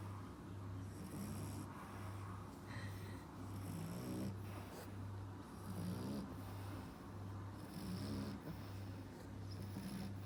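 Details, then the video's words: French Bulldog puppy, 4.5 months old, snoring steadily: raspy rattling breaths with hissy exhales, roughly one breath every two seconds, over a constant low hum. "Так храпит щенок французского бульдога"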